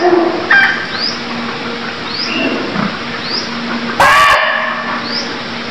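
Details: A single loud, gruff bark of a Cambodian deer near the end, preceded by quieter rising bird whistles repeating about once a second and a soft continuous background hiss.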